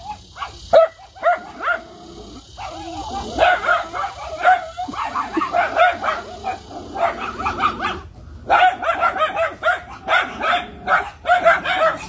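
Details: Miniature Schnauzer barking and yapping in a long, fast, uneven run of short tonal barks. A few brief pauses break the run, over a constant hissy background.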